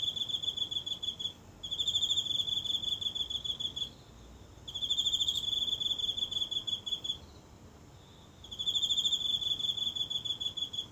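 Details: A single insect calling every night in the grass of a small home garden, recorded closely on a phone in stillness: high, buzzy pulsed trills in three bursts separated by pauses of about a second.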